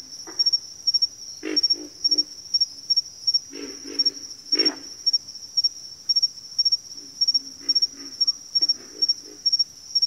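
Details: Croaking frogs call in clustered bursts of two or three gruff notes, with quieter spells between. A high, rhythmically pulsing insect trill keeps going throughout.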